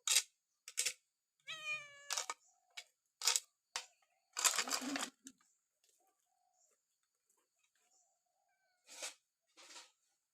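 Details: Cat at Wat Pong Chai temple in Chae Hom, Lampang, being given food on a foggy morning: a short, clear, tonal meow among sharp bursts of clattering and rustling, with later scattered knocks.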